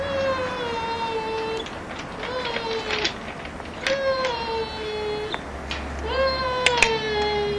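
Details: Giant Schnauzer puppies from Kennel Vestigia Ares, 2009. Four drawn-out whines, each starting high and sagging downward, repeat every one to two seconds over a low rumbling hum.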